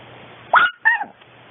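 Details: Female long coat Chihuahua born in 2010, at home in everyday life, giving two quick high yelps in succession, the first rising sharply, the second a short whining note, over faint hum.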